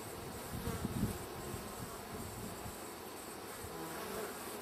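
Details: Western honey bees in a wild hive, wrapped up and ready to be collected; a steady, low droning hum with dense rustling, and a few soft handling knocks near the first second.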